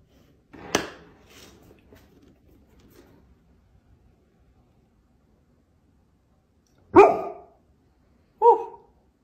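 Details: Dog indoors trying to get attention to negotiate for treats: one sharp bark near the start, then two short barks about a second and a half apart near the end, quiet room between.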